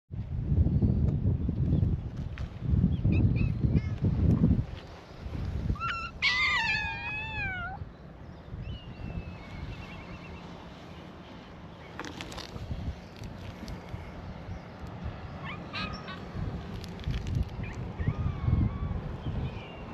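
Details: Stray cats at a cat gathering on a cat island near Itoshima, Japan, greeting a visitor; one clear wavering, harmonic meow, falling in steps, stands out above heavy low rumbling wind and handling noise, with fainter mews scattered later.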